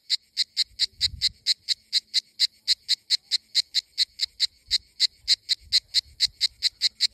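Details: Cicadas in Greek summer: a cicada sings in loud, evenly spaced buzzy pulses, several each second.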